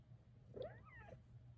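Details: Indoor cat tucked beneath a closet rug makes one soft, drawn-out meow that rises then bends down, over a constant low electrical hum.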